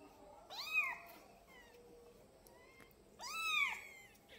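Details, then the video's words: Twelve-day-old kitten giving two high, thin meows about three seconds apart, each rising then falling in a bright arch, with faint steady tones in the background between calls. "Anak kucing meong meong hari ke 12"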